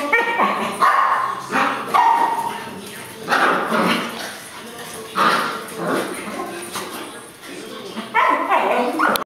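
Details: Two puppy brothers playing tug-of-war with a piece of fabric give short, harsh yips and whimpering growls in bursts every second or two, while a person talks over them.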